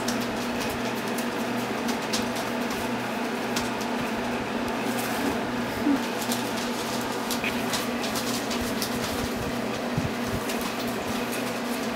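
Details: Loud steady indoor hiss and hum with scattered light taps and scuffles across the whole stretch.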